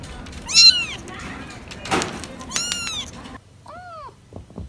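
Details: Cat meowing in short, arched calls, with a dull thump between them and a softer, lower meow near the end in quieter surroundings.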